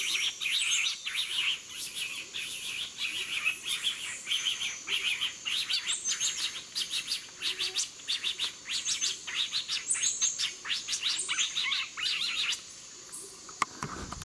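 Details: Noisy black-mantled tamarin chatter near Yasuni, Ecuador: a steady stream of sharp, high chirps and trills repeated more than once a second, with occasional thin whistles above and a sudden knock at the end.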